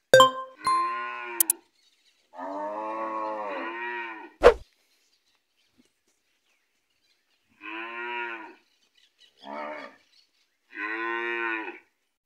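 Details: Three Gyr bulls in Morazán, El Salvador, on a farm; repeated drawn-out harmonic moos, five calls over twelve seconds with uneven gaps, and a few sharp clicks and knocks early on.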